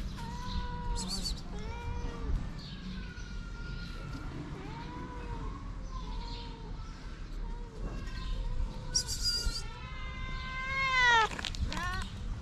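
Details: Feral street cats: a mother cat seeking affection while her kittens stay shy. Long drawn-out meows with a falling tone, spaced a second or two apart, end in a louder rising cry; faint rustling and low rumble.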